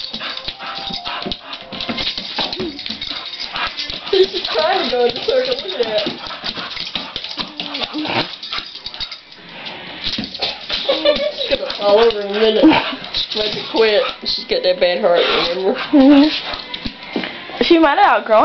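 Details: Pet Boxer dog, a female, chasing a laser light indoors as part of play. Repeated high, wavering whines and whimpers rise and fall throughout, mixed with scrabbling and rattling sounds and people talking.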